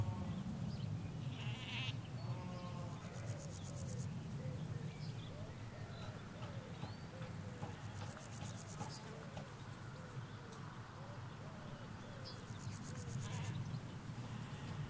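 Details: Sheep, ewes with their lambs, in a field in the Hampshire countryside: a long wavering, quavering bleat over several seconds, with scattered bird chirps, bursts of high hiss and a steady low rumble of distant road traffic.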